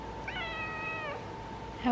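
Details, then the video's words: Female orange cat talking while enjoying the sun: one long, steady, tonal meow with a flat pitch that drops slightly at the end. A woman's voice follows. "Talking Orange Cat!"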